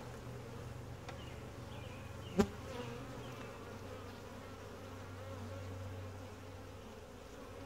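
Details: Honey bees of a gentle, calm colony hum steadily as the hive is inspected, a deep even drone throughout, interrupted once by a single loud knock early on.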